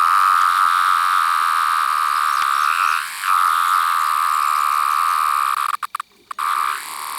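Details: Seventeen-year cicada, a larger variant with yellow-brown abdominal striping, singing alone close to the recorder. It holds a continuous high-pitched whine with a short dip around three seconds and handling clatter interrupting near six seconds.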